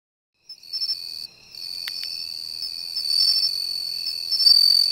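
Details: Bell cricket singing near the seashore during a search guided by sound: after a brief silence, a high, clear, ringing trill starts and holds steadily, growing louder, with a lower pulsed chirping insect beneath and a few faint clicks.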